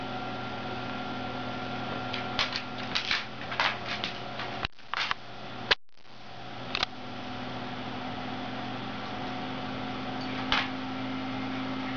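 Only a steady mechanical hum with scattered clicks and knocks indoors; no animal voice is heard.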